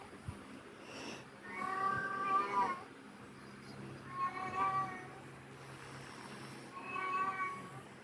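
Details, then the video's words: Domestic cat meows, used to attract cats: three drawn-out, harmonic-rich meows spaced roughly two to three seconds apart over a quiet hum. "Catsounds to attract cats"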